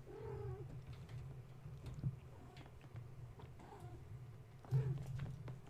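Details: Playful kittens of Gaia, awake at bedtime and driving their mother to distraction rather than nursing. Three brief falling mews spaced a few seconds apart, with thumps of climbing and a steady low droning hum beneath.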